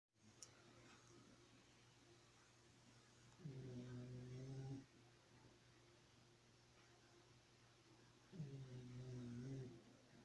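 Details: Xena the dog snoring in her sleep: two low, rumbling, buzzy snores about five seconds apart, each lasting just over a second, with quiet steady room hum between breaths.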